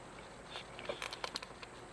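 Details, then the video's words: A cat eating indoors: a quick run of soft, crunchy chewing clicks packed into under a second, over a quiet room hiss. "Chewing sound of the cat"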